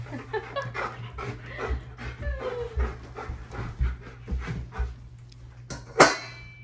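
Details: Bernese Mountain Dog excited before a raw meat dinner: rapid rhythmic panting and small whimpering sounds throughout, ending with a sharp bark-like burst near six seconds, over a steady low hum.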